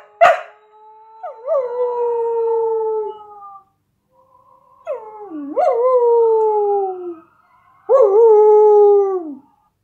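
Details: A Samoyed dog, a female, howls along to a video of herself howling, in three long, mournful notes, each quavering at the start before sliding slowly downward.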